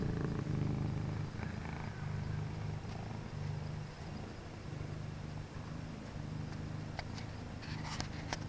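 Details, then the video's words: Late-night purring from a pet cat, Penny (all orange) or Havoc (orange and white), kept company indoors in an office; a deep vibrating rumble in alternating breath phases, with light clicks and rustles toward the end. "My Fuzzy Study Buddies (No Talking) (Cat Purrs)"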